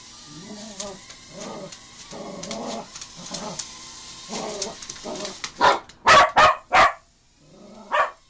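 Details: Cocker Spaniel reacting to a mini drone indoors: a run of soft, nasal, whimpering whines, then about five loud, sharp barks in quick succession, a pause, and one more bark.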